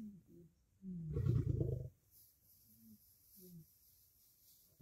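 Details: Lions, lionesses and cubs squabbling over food at a kill in a dominance fight: soft tonal whines, then one loud, coarse, low snarling burst of under a second, followed by further faint whining calls and quiet background.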